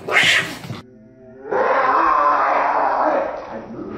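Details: Cat heard in a funny compilation: a short harsh burst, a brief faint low tone, then a loud, drawn-out strained yowl that holds steady for about two and a half seconds before fading.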